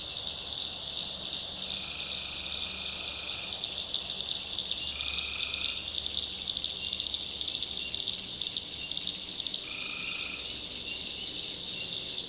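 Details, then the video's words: Tree frogs calling at night in a North Carolina swamp: an unbroken high trilling chorus, with three louder, lower nasal calls standing out, one long and two shorter, several seconds apart. "Swamp Sounds at Night - Frog Heaven - Frogs, Crickets"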